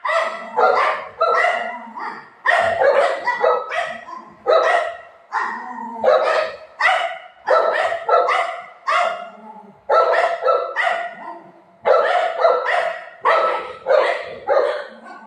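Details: Golden retriever Buzo keeps up an excited barking run during play with mom: short, raspy barks in quick groups of two to four, with brief breaks, steady in loudness throughout.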